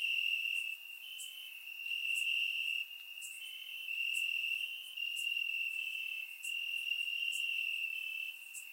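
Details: Warm summer night in Bulgaria with crickets in the grass, recorded in surround sound: continuous shrill trilling that swells and fades in bursts of one to two seconds, with scattered faint high clicks.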